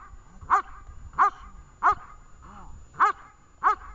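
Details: Barking by the dog Vesta at a training session in Horlivka, 20 July 2019: six crisp barks roughly every 0.6 seconds, one softer muffled yelp among them, quiet surroundings.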